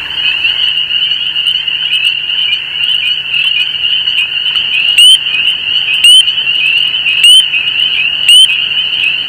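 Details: In spring in wild Canada, among marshes, streams and fallow fields, a dense chorus of spring peepers (Pseudacris crucifer) gives shrill, very high peeps over a continuous trill, with wood frogs also calling nearby.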